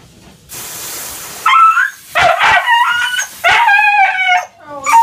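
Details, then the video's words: Husky throwing a tantrum during a bath, giving a burst of splashing water and then a series of tonal, wavering howl-like cries in short bursts, some rising and falling, with a man's soothing voice. "Husky Bath Time Tantrum"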